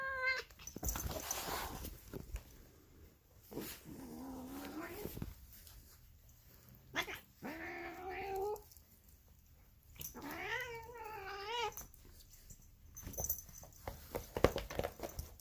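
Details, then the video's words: Female polydactyl cat making weird, raspy noises likened to Marge Simpson's voice: three drawn-out, wavering meows of about a second each, some rising and falling, separated by pauses, with indoor handling clicks and thumps between them. "Mutant Cat Makes Weird Cat Noises She Sounds Like Marge Simpson"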